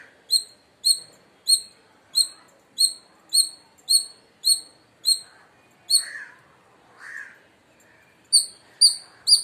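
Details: Indian palm squirrel in India calling loudly. Shrill, high chips repeat about every half second, then briefly stop while two lower, softer rasping sounds are heard, then resume.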